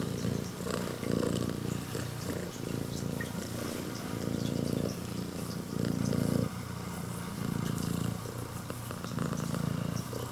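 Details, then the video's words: Kinyako, a female red tabby and white prick-eared Scottish Fold cat born August 2020, purrs loudly like an engine while greeting, a low rumbling hum swelling and fading with each breath; she got angry when stroked afterwards. "猫のゴロゴロ音がかわいい【ASMR】【スコティッシュフォールド】"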